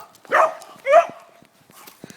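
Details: Benny, a pet dog, barking at a chihuahua: two loud, harsh barks about half a second apart, each with a rising then falling tone, followed by quiet background noise.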